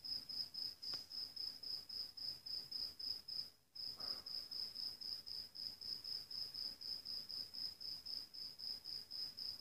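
A field cricket chirps continuously on one high, ringing pitch, pulsing evenly at roughly four beats per second. The rhythm breaks once with a brief silence, then resumes unchanged.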